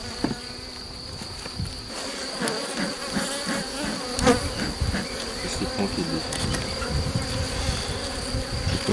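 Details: Honey bees in a drone-laying hive under rescue on 3 May 2021, after a brood frame with its nurse bees was added from the defensive hive next door: a steady low hum with overtones, occasional clicks and handling knocks, faint voice.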